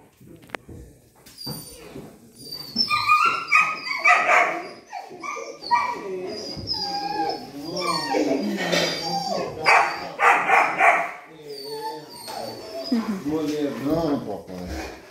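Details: Rottweilers greeting their owners with joy after two days apart, high excited whines and yelps with short barks in quick irregular bursts, a woman speaking happily in Portuguese over them.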